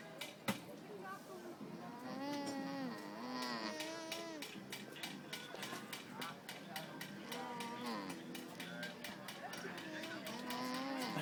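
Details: Alpacas at a countryside day event in Groningen trade soft, wavering hums that rise and dip, with several voices overlapping and scattered clicks.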